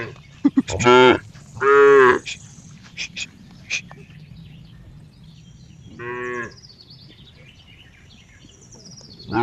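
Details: Cow mooing repeatedly: two quick loud harmonic moos in the first two seconds, another at about six seconds, and one more starting at the end, with scattered clicks and knocks between calls.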